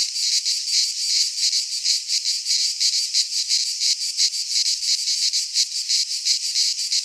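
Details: In a Greek pine forest at midsummer, cicadas produce a high, grating drone that swells and dips in clear rhythmic throbs close to three each second, steady and unbroken, with no other noises.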